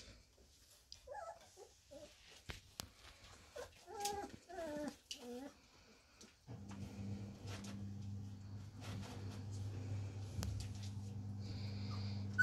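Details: Samoyed puppies aged four weeks, a Christmas-time kennel litter, give short bending whimpers in the first half, then a steady low mechanical hum takes over beneath faint background noise.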